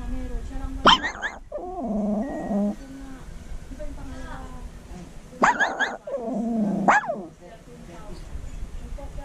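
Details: Shih Tzu–Maltese cross dog howling in two bouts, each opening with a sharp yelp and then a sustained, wavering, harmonic tone of about a second, separated by several seconds of quiet.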